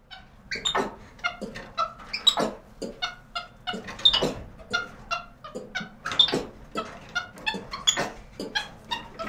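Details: A capuchin monkey calling indoors in a cage. Short, squeaky, chirping calls repeat rapidly, about every half second, mixed with sharp metallic cage rattles. Ventilation hums steadily in the background.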